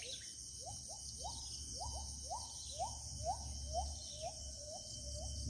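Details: Gibbon calling in the deep interior forest of Kalimantan: a series of short rising whooping notes, about two per second, quickening and then levelling off in pitch, over a steady high insect drone and a low rumble.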